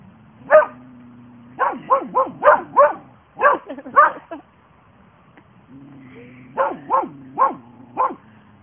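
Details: Two Border Collie sisters, Hope and Helvy, barking in bursts: a single sharp bark, then runs of three to five quick barks separated by pauses, over a steady low hum.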